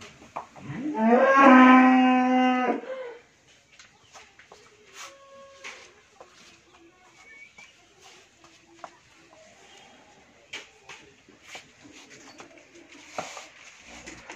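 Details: Friesian cow, first-calver with a heifer calf, at a dairy farm in Bhangura, Pabna, Bangladesh; one loud, steady moo lasting about two and a half seconds at the start, followed by quiet clicks and faint farm noises.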